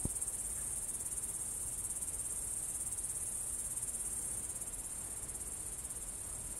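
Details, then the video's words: Cricket chorus at Kolga, Estonia, evening of 6 September 2018, filmed at 20:26: a steady, unbroken high shrill trill throughout, with soft low-frequency outdoor rumble underneath. "Ritsikate siristamine"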